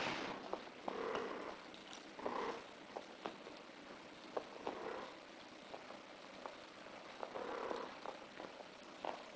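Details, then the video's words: British Shorthair in heat making several short, muffled mid-pitched calls spread across the recording, mixed with scattered clicks and taps over a steady hissing background. "Cin Heat"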